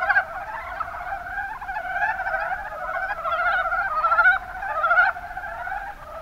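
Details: Kumamoto, Japan, Kuma Basin: mountain brown frogs croak together in a busy, purring chorus of fast repeated pulses, louder from about two to five seconds, then fading toward the close.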